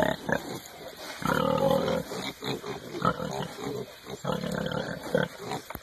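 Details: Hereford piglets rooting around in the dirt in early spring give a run of throaty grunts and brief harmonic squeals in bursts over several seconds, close by, with a man's voice near the end.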